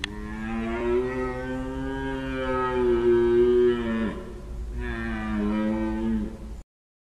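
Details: A Corsican red deer stag gives long, deep, groaning rut roars, the second shorter than the first, heard at 20:05 from a 280-degree bearing during a rut roar census in Sardinia/Corsica.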